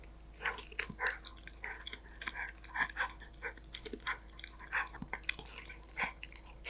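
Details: Danbi, a Golden Retriever puppy, munching snacks: loud crunching bites in clustered bursts about every half second, crisp cracks mixed with softer mouth noises in a quiet room.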